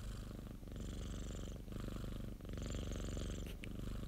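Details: Domestic cat purring, recorded by a friend's owner and edited into a continuous loop: steady low rumbling throb, the breaths alternating between inhale and exhale phases about every second, with brief hissy breath gaps between them.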